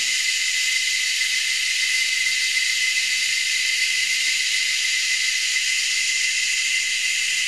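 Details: Australian cicadas at Anstead, Queensland, about three or four species calling high in the trees: a constant, piercing electric buzz lasting the whole stretch, steady in loudness, with a thin tonal whine layered within the shrill chorus.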